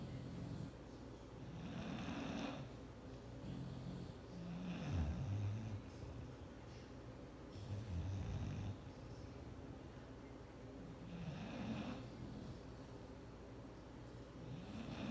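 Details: Clyde, a bulldog, sleeps on a chair he is not allowed on, snoring loudly: deep rumbling breaths about every two to three seconds, with a raspy hiss on each inhale.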